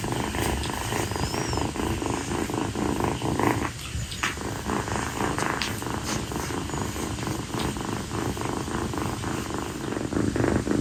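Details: Female calico rescue kitten purring nonstop on its owner's feet on a hot night after playing, a dense low rhythmic rumble that fills the whole stretch with only a slight dip midway.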